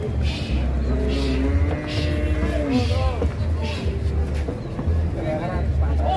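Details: A giant sacrificial bull (sapi qurban) being loaded onto a truck gives a long, low, drawn-out moo lasting about two seconds and sagging at its end. Men talk throughout, with background music and a steady engine-like rumble.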